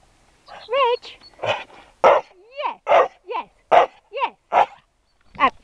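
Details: A male dog, praised as a good boy and told he can talk, gives wavering, yodel-like whines with sliding, bending pitch, about a dozen short bursts alternating with a person's encouraging speech.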